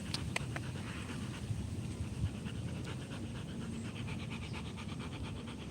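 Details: Rottweiler panting steadily during a live stream, rapid breathy pulses repeating throughout with a low room hum underneath.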